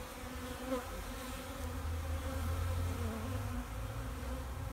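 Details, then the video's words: Active wintering honeybees, open backyard hive in Vancouver, BC, sunny March afternoon in 2019 at 8 degrees; low, even buzzing drone swelling slightly mid-clip, with a faint tonal whine above it. "Wintering Bees"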